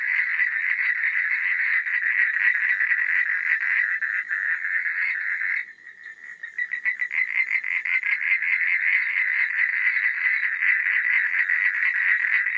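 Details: Frogs calling after dark, a thick chorus of raspy pulsed croaks that briefly falls quiet near the middle, then returns as rapid stuttering pulses rising back to a full, steady chorus.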